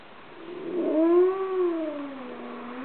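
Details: Midday dog howl triggered by sirens and a train. A wavering, sad-sounding tone swells upward, bends back down and trails off lower over about two seconds, with a soft hiss underneath.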